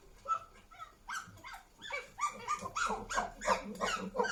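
Chimpanzee calls: hoarse, rising hoots that speed up and grow louder into shrill, repeated screams.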